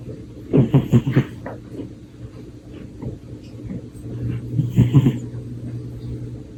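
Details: Pet cat asleep on a lap, curled into a ball, snoring: low rasping breathy bursts near the first second and again around five seconds, with a steady low hum underneath.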